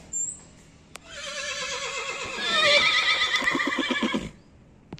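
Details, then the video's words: Horse whinnying loudly: a long neigh that starts high and falls, then breaks into a rapid shaking, tremulous stretch lasting about three seconds before stopping abruptly; a brief high whistle-like tone precedes it. "horse sounds"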